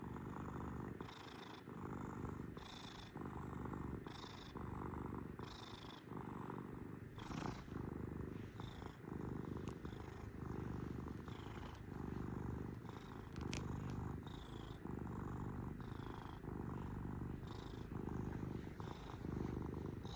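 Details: Sustained purring from a pet kitten over twenty seconds, a low grainy rumble swelling and easing with each breath, soft whistling on inhales and a couple of sharp faint clicks in the background.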